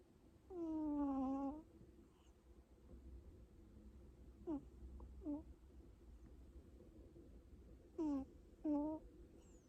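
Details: Domestic cat snoring: squeaky, whistle-like tonal notes that bend downward, some paired as if on in- and out-breaths, separated by a few seconds of quiet room hiss.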